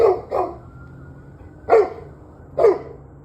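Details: Dog barking on an evening at 7:06 pm: four sharp, broadband barks, two close together at the start and two more spaced about a second apart, over a low steady background hum.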